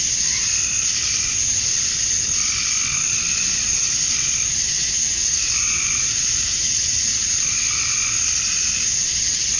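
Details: Cicadas at summer dusk in Georgia, USA, with males chirping to draw females; a steady, shrill hissing wall of sound runs throughout, while softer mid-pitched notes rise and fade every couple of seconds underneath.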